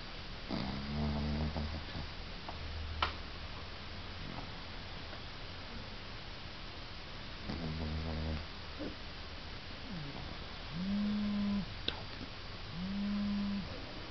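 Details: Igby the pug sawing logs in his sleep: repeated low, buzzing snore breaths with rattling pulses, some ending in short nasal whine-like tones near the end, in a quiet indoor room.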